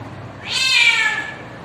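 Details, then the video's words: Domestic cat mating call, used to attract a mate: a single drawn-out meow of about one second, rising then gently falling, with clear harmonic bands and a quiet background. "The voice of the cat calls the cat to mate"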